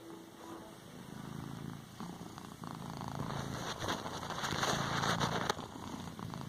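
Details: Cat kneading a cushion, purring softly at first, then louder rustling and broadband scratchy noise build up midway, ending with a sharp burst near the end.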